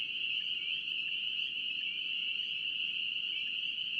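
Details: A wall of spring peeper calls from North Carolina: shrill high peeps overlapping into a continuous piping chorus with slight flickers in pitch, low background hiss throughout.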